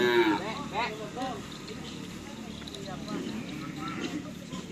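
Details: Cattle at a bull racing (karapan sapi) practice at a field in Asemanis, Pamekasan, Madura, Indonesia: a brief harmonic lowing near the start, then a steady murmur of crowd voices and background noise.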